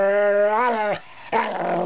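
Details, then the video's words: Harley, a pet Wire Fox Terrier, talks to his owner sitting at the computer indoors, with Katie the Border Collie nearby; a sustained, tonal, moaning voice rises near the end, breaks off, then returns as a rougher, grumbling howl. "Harley the Talking WIre Fox Terrier"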